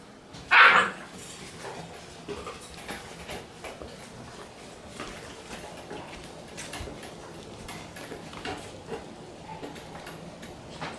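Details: Male Shiba Inu puppy born June 30 gives a single sharp, high yip-like bark near the start, followed by a long stretch of quiet background hiss with faint clicks.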